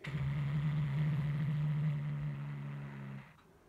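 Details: A pet cat named Hulusi, guarding its toy, holds one deep, even rumbling growl for about three seconds before it fades out.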